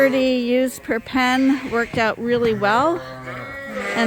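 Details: Mixed groups of Suffolk lambs in a barn after a gate was left open; shaky, wavering bleats come in quick succession, a few sliding upward, then a steadier tail at the end.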